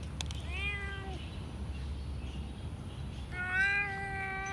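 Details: Blue-eyed cat giving two clear meows, a short one then a longer, slightly rising one about three seconds later, over low background hum.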